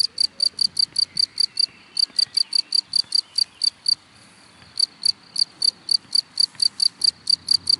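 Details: Close cricket in grass producing loud, ringing high chirps in quick regular succession, interrupted by two short pauses, the longer lasting nearly a second, in an otherwise quiet setting.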